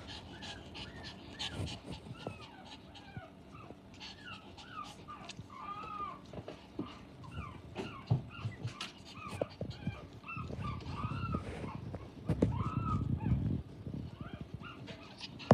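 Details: Energetic female Japanese Chin puppy giving repeated short high whimpers and squeaky yelps throughout, with rustling, thumps and low background noise.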